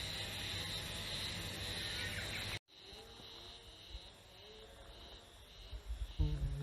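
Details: Haruzemi cicadas, once locally called matsuzemi, singing on 14 May 2021 near Taka town, Kita-Harima, Hyogo, Japan: a steady high buzzing drone, strong for two and a half seconds, then cut and fainter, with low rumble and voices.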